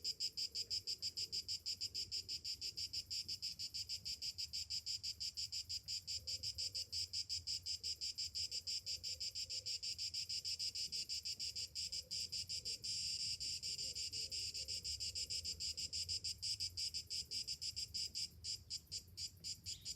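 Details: High, rasping cicada drone on a summer morning, beating in quick even pulses that swell slightly midway, with faint low cooing in the background.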